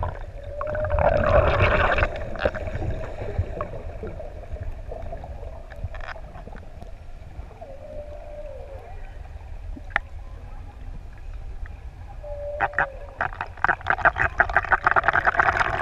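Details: Six adult humpback whales singing underwater off ʻEua, Tonga, while playing in the open sea near swimmers; steady moaning units near a single pitch, a rising upsweep, and short clicks over low rumbling water noise.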